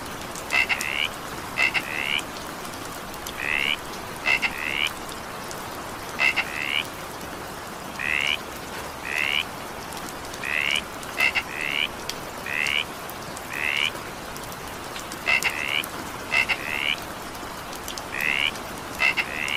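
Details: Frog calling during evening rain: short, rising, slightly buzzy notes, often in quick pairs and mixed with sharp double clicks, repeated about once a second over a steady hiss of falling rain.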